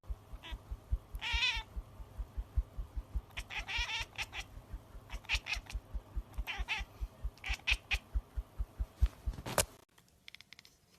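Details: Baby cats talking: several short, high, wavering meows come in bursts, over a steady rhythmic low pulsing, until the sound cuts off abruptly near the end.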